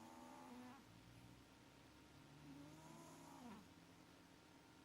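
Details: Sleeping house cat Maxi snoring through sweet dreams: quiet wheezy breaths with thin whistling tones that slide up and down, two snoring breaths over a steady low room hum.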